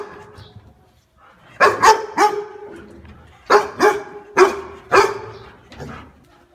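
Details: Dog giving loud, sharp barks after a quiet start: a tight run of three, a pause, then a further three barks and a softer trailing one, with faint room echo.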